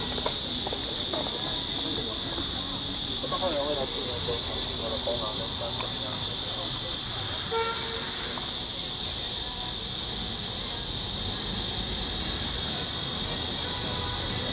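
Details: Cicadas in the trees around the lake of Huangzhou form a loud, unbroken high-pitched buzzing wall of sound, with brief faint voices early on.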